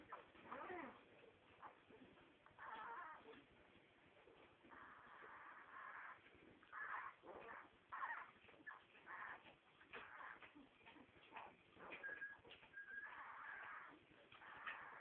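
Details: Nine-day-old Staffordshire Bull Terrier/Bull Terrier puppies give high, thin squeaks and whines in short, uneven bursts.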